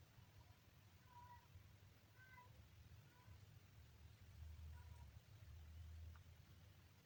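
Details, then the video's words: Day-3 kitten meowing in short, thin, level cries with clear harmonics, about five mews spaced roughly a second apart, over a low rumbling background. "kitten funny sound"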